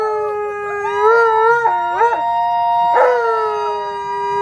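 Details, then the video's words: Alaskan Malamute Tonka howling happily while visitors are over: sustained, smooth mid-pitched howls with a brief wobbling, warbled dip in the middle, then the note settles back into a long, even tone. "Malamute Has Company & They Have A Howling Good Time!!"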